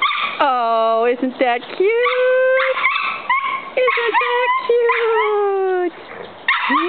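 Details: A big dog and a little dog in rough play. Long drawn-out whining howls hold steady, then bend up and down, broken by quick yips, and a woman's voice is heard nearby.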